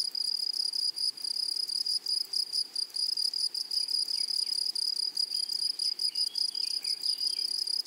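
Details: A dense insect chorus from a flowery prairie meadow: shrill, high, ringing grasshopper buzzing chopped into rapid pulses, with faint, brief, sliding chirps of a distant bird.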